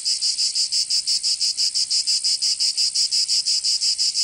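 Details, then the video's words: Summer chorus of cicadas in Provence, in the south of France, giving a shrill sizzling buzz pulsed steadily about three times a second, evenly spaced throughout. "Canto Cigarra 🦗 [ Escuchar les cigarras en verano 10 H]"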